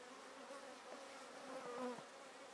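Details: Honey bees with much drone activity around two entrance holes of a top bar hive during a colony split. Brief swell of buzzing as single bees fly close, pitch sliding briefly over a steady hum.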